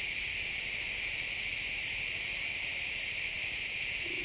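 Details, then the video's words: Many crickets chirp together in a pine wood at sunset, making a steady, piercing high trill; a faint low hum enters briefly near the end. "Cricket sounds in the pine forest"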